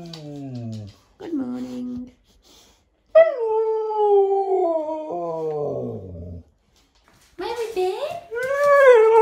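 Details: Husky giving drawn-out, wavering howl-like vocal sounds with rich harmonics, several phrases separated by short pauses, some sliding up and down in pitch, the last ones rising and falling in a yodel-like way; a person's voice nearby.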